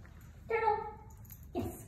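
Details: Gertie, a Soft-coated Wheaten Terrier, gives a single short nasal whine with clear harmonics, followed by a brief broader sound.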